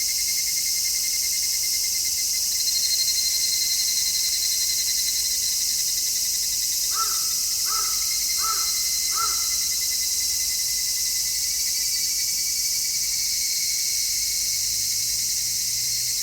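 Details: Cicadas in full midsummer song, stereo recording made with an MKH-416 microphone; constant high-pitched buzzing drone, while midway a crow gives four harsh caws about a second apart before the chorus continues alone.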